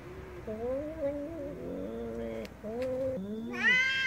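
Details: Angry cat making low, wobbling, moaning meows, several in a row with small pitch steps, then a sudden higher, brighter meow at the end; faint clicks in the background.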